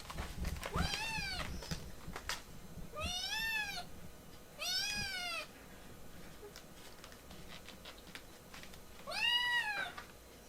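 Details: Rescued kitten in foster care, a baby cat refusing to be cuddled, indoors: four clear, loud meows, each arching up then down with rich harmonics, at about one, three and a half, five and nine and a half seconds, with light rustling between.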